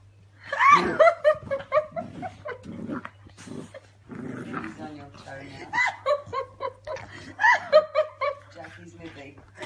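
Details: Eleven-week-old Dandie Dinmont terrier pups from Bea's litter argue over a sock in a small room, giving loud, rapid squealing yelps and rough growling whines in repeated bursts, mixed with human chatter and laughter.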